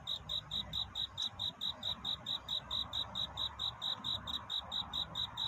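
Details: Night-time courtship song of a cricket: bright, high chirps about two per second in a regular beat, with a faint low hum beneath.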